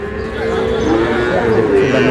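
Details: Sahiwal bull calves for sale at the opening of the Monday market at Ambari haat, Dinajpur, Bangladesh, 11 May. A steady, low, drawn-out moo sounds beneath market chatter and buyers' voices.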